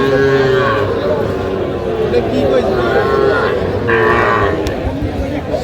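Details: Cattle at a market in Feni, 15 November, where farmers buy the smallest young bulls and heifers; a four-month-old calf is discussed. A drawn-out low moo opens, another comes near four seconds, over men bargaining and crowd chatter.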